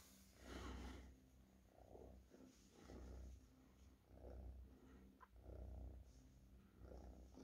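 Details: Cat purring in slow rhythmic pulses, each deep rumbling swell lasting under a second, repeated roughly every 1.3 seconds, with a faint click midway.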